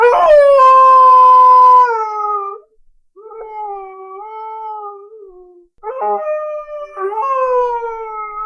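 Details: A dog crying: a long, steady, tonal whine held for about two seconds. It is followed by two softer, wavering cries that are slightly lower and broken by short silences. No other sounds.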